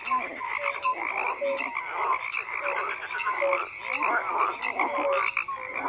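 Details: A busy frog chorus of many overlapping croaks, with clear short whistle-like notes recurring about once a second and a few quick rising chirps amid the rasping background.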